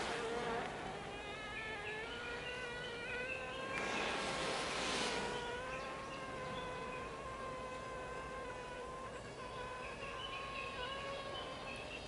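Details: Japanese honey bees inside a hive during swarming season, 20 April 2022, in a colony where new queens keep emerging after the second swarm; several bees overlap in steady, slightly wavering tonal hums with bright harmonics, plus a brief louder buzzing burst midway.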